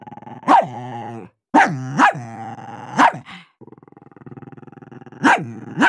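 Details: Dogs barking and growling while competing for food: sharp loud barks around half a second and two seconds, harmonic growling between them, a lower sustained growl in the middle, then more barks near the end.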